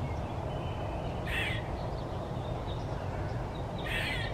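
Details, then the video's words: One-eyed Wilma, a fat gray squirrel that eats bird seed, screaming: two harsh, raspy bursts about two and a half seconds apart over a steady low rumble of background noise. "Gray Squirrel eating Maple seeds and One eyed Wilma screaming"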